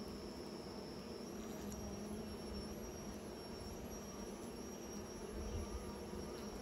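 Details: Bees making new nests fill the air with a continuous low buzz and harmonic overtones, swelling slightly near the end, over a faint steady high-pitched whine.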